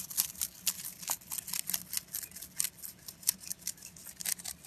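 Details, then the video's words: Rabbit named Pontan munching food indoors, a steady run of dry, bright crunches and snips, closely spaced and irregular, with a faint low hum underneath. "ぽんたんうさぎの色々な咀嚼音｜Eating sounds of Pontan Rabbit"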